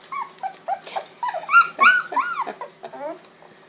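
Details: Litter of Golden Retriever puppies at 16 days, eyes just opened, crawling and wiggling; a dense run of rapid, arching squeals and whines, several per second, building to louder cries midway before fading into softer whimpers.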